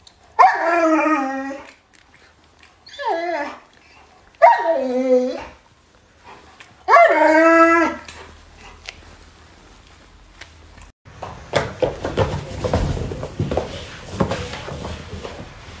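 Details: Pet Alaskan Malamute Luoluo vocalising beside its owner, who is ill in bed: four short howling cries, each sliding downward, spaced a couple of seconds apart, followed by rustling and handling noise.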